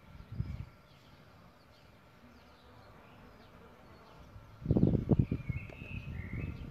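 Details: Solitary bees nesting in a bug hotel: a brief low droning buzz near the start, then a louder, sustained humming buzz with stacked overtones through the last two seconds as a bee flies close; faint bird chirps above.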